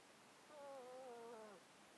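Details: Domestic cat asleep in a box, close-miked, whose 13-year underlying disease makes it sound snotty: one wavering whistled nasal tone with faint overtones, lasting about a second against quiet background hiss.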